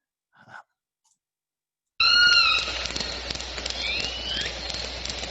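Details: Southern resident killer whales recorded near Roche Harbor give a harmonic, squealing call, then rising whistles, over a crackle of clicks and hiss.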